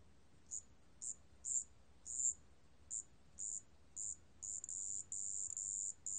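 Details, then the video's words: Marsh bell cricket recorded by Korea's National Institute of Biological Resources, 2020: a pure, high ringing tone in short bell-like pulses about half a second apart, lengthening into longer steady trills toward the end, over quiet background hiss. "습지방울벌레, 여러번 듣기, 곤충소리"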